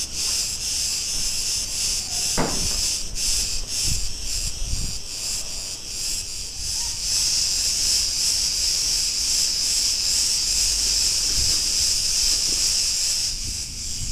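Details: Many cicadas in a street in Ierapetra, Crete, Greece, keeping up a loud grating buzz that throbs in quick beats and grows fuller after the first few seconds. Occasional sharp taps and thumps are heard nearby.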